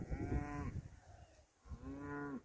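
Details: Cows heard from time to time near a parking spot in south-west France, with cow bells around; two drawn-out, low, even lowing calls with a low rumble between them.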